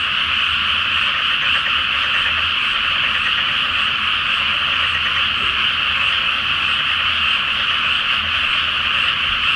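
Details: Full-moon night over a flooded pre-planting rice field, where a great frog chorus sounds; countless rapid croaks blend into one constant, grating, high-pitched din with only a faint low background hum.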